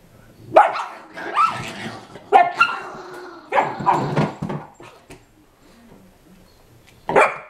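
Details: Play fighting between a 5 lb Chihuahua and a 25 lb Pitbull puppy at home brings a run of loud, yappy barks and growly snarls over several seconds, a pause, then one last sharp bark.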